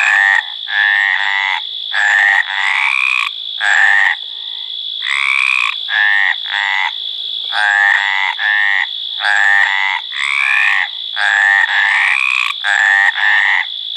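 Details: Breeding-season chorus of Hyla meridionalis, the Mediterranean tree frog: rapid series of harsh, nasal 'craak' notes, roughly one per second, in choppy bursts with brief silences, over a constant high-pitched background whine.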